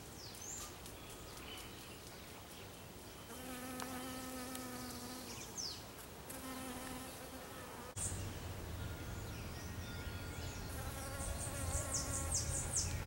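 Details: Bee in a garden close to African lily blooms, its low droning buzz coming in bursts of about two seconds and then a fainter hum, with high bird chirps scattered throughout.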